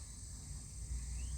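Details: Insects singing on a cool autumn day while a cat listens; a steady, high-pitched ringing drone holds throughout without a break, over a soft low rumble of background noise.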